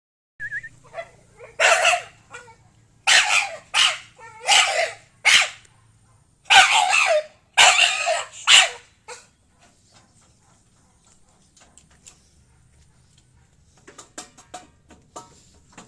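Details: Pit bull giving a short series of harsh, broadband barks in clustered bursts over about nine seconds, then quiet with faint scattered noises near the end.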